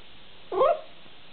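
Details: A long-haired rabbit dachshund puppy indoors, protesting that another dachshund will not give up a treat: one short, sharp, rising-then-falling whining yelp, about a quarter second long, in a quiet room.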